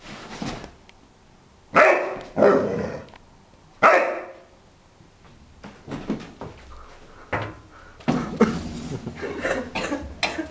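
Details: Four-month-old Rhodesian Ridgeback puppy barking indoors: three loud, sharp barks about two seconds apart, followed by quieter barks and noisy bursts with some human voices.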